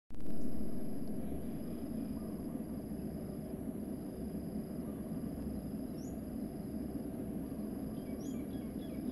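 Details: Bees pollinating and feeding on coconut flowers. A steady, dense low droning hum holds throughout without a break. A faint thin whistle and a few brief high bird chirps sit far above it.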